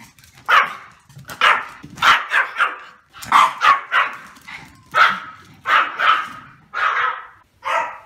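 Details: A male Pomeranian gives a run of shrill, clipped barks, often paired in quick doubles, spaced irregularly across several seconds with near-silent gaps between.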